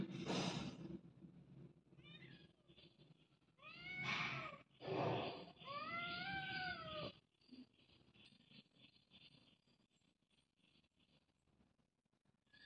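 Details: Domestic cats at home: several drawn-out, arching meows follow one another through the middle of the recording over a low steady hum, with a noisy burst at the start and faint rustling afterward.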